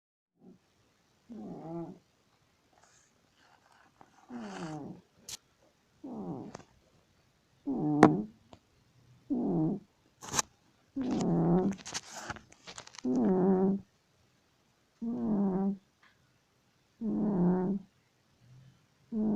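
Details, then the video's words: A domestic cat asleep and snoring loudly: deep, rasping breaths, each lasting about a second, come in a steady rhythm roughly every two seconds, with a few sharp clicks between them. "Кот громко храпит"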